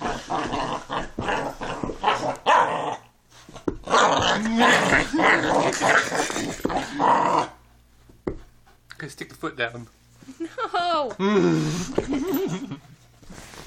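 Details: Luna, a puppy playing under a bed, gives long stretches of rasping, grumbling growls with a few sharp yips. A short pause follows, then a higher wavering whine-like sweep. A person talks over parts of it.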